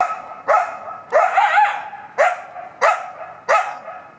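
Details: A coyote in woods about 40 feet off a fire road in a city park, Sunday morning 7 May 2017, barks almost non-stop for over 20 minutes for unknown reasons: a run of sharp, hoarse barks, some drawn out into brief yelping wails.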